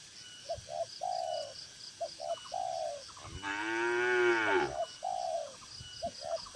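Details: Tame cattle in a farm barn pen, one of dozens gathered together; a single drawn-out moo swells midway, surrounded by rapid, short, repeated chirping notes from birds in the background.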